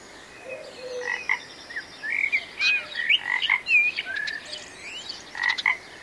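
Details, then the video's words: Frog calling with a run of short, bright chirping notes, some sliding up or down, given in uneven bursts and clusters over a soft steady hiss. "Magical Frog Sounds"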